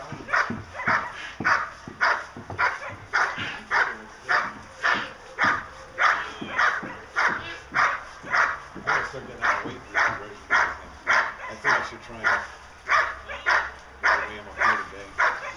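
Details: German Shepherd Dog Diesel vom Darland Haus, a 16-month-old male, in protection training for Schutzhund, barking in a steady series of sharp, loud barks about every 0.6 seconds, roughly twenty-five in all without pause.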